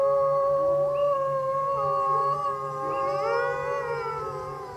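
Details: Several gray wolves (Canis lupus) at the bottom of Grouse Mountain, set off by a car alarm, howl together in long, smooth, overlapping tones that slide and waver in pitch.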